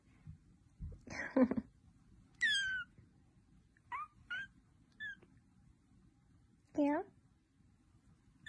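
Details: Pet cat uttering a string of short meows, some falling in pitch and one longer wavering cry, spaced a second or two apart, mixed with a person talking to it indoors.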